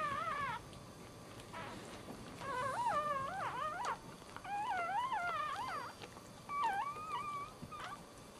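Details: First-born Dachshund puppy crying moments after birth: repeated bursts of shrill, warbling squeaks in quick clusters, separated by short silences, with one steadier whine near the end; quiet indoor background.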